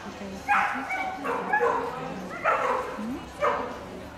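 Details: Whippet Pepita, coursing at Argovia 2018, gives four shrill, ringing yips roughly once a second, each sharp and tonal, over a murmur of voices.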